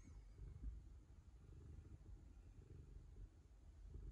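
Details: Ragamuffin cat purring while licking the owner's daughter to show affection; a continuous low, rumbling purr throbs throughout at an even pace, with a faint steady electrical hum behind it.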